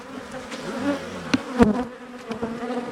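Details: Honey bees from a well-established colony in a wall, disturbed during a cutout: steady humming buzz with a low drone and harmonic bands, broken by a few sharp knocks and clicks.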